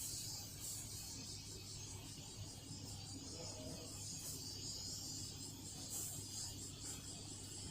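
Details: Cicada calling continuously in a sharp, high, pulsing buzz while Toto-kun the cat is around, backed by a steady low hum.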